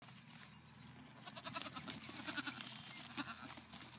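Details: Nigerian Dwarf goat kids at a farm in Wapato, Washington, on 8 May 2017, give brief, quavering, nasal bleats, repeated irregularly, over steady rustling and scuffling.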